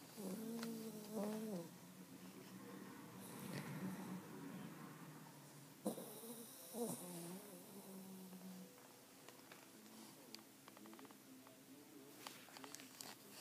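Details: American Pit Bull Terrier asleep and snoring: wavering, whistly nasal tones on each breath, some rising and falling, with a quiet background hiss, scattered clicks and a brief rustle partway through.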